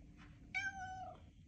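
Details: A female domestic cat in a kitchen gives one clear, drawn-out meow lasting about half a second, level then dropping at the end, over a steady low hum, while a person talks to her before and after.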